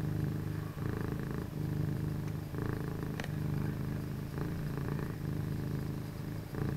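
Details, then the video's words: Two pet cats, Penny (all orange) and Havoc (orange and white), share a home office late at night; a loud, continuous low purr swells and eases with each breath, roughly every second, with one sharp tick partway through. "My Fuzzy Study Buddies (No Talking) (Cat Purrs)"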